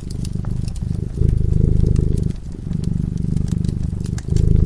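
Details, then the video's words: Cat asleep before a crackling fireplace, purring in a low, steady rumble that swells and eases in phases of roughly one to one and a half seconds, with sharp crackles and pops from the fire scattered on top. "Purring cat"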